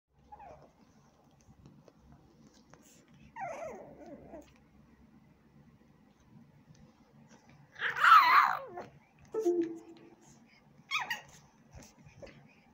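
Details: A pug puppy and a Jack Russell cross Maltese puppy playing together indoors, giving scattered short whiny yaps, a louder rough growling bark near the middle and brief squeaky grunts, with quiet gaps between.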